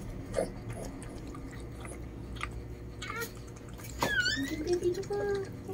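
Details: Newborn Lhasa Apso puppies during the mother Chloe's whelping indoors, the fourth pup black: brief high, harmonic squeals, one sliding downward near the end, amid rustling, chewing-like noises and soft Tagalog talk.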